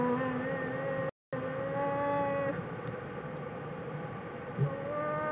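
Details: Bears in Jewel's den, recorded January 16, 2013, giving a bear's version of singing: long, steady, droning tones with stacked overtones, held for several seconds and shifting in pitch, over a constant low background hum.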